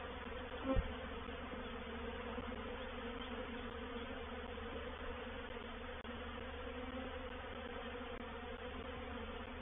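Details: Honey bees of a reproductive swarm entering a swarm trap at Painted Peacock Manor, 04/07/21: a continuous low droning buzz from many bees holds an even level throughout, with one brief tap near the start.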